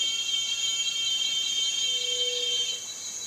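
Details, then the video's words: Continuous high, metallic cicada drone with layered ringing tones that drops a little in loudness near the end, while a faint low whistle-like note passes under it. "Som de cigarra - Barulho da Cigarra"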